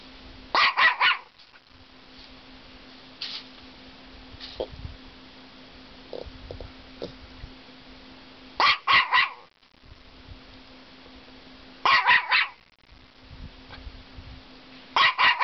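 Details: Female Norfolk Terrier barking at an aggressive caterpillar under a cottage deck: short clusters of two or three sharp barks separated by long quiet gaps, a few soft thuds between, faint constant hum throughout.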